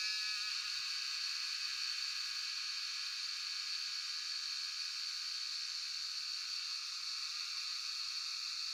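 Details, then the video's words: Shivapuri National Park cicadas (Jhyaukiri) near Tarkeshwor, recorded by cellphone; a constant sizzling high buzz with a faint rapid flutter, steady and unbroken throughout. "Sound of Cicadas (Jhyaukiri)"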